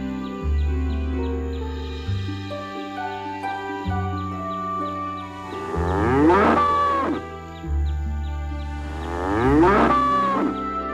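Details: Cow mooing twice, each a long, drawn-out, wavering low moo lasting about two seconds, over a steady backing of music.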